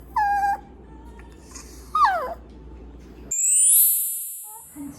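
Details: Maltese dog named Janggun, frightened at the grooming salon, gives thin high whining howls: a short level cry, then a longer one sliding downward, followed by a loud shrill electric whine from grooming equipment.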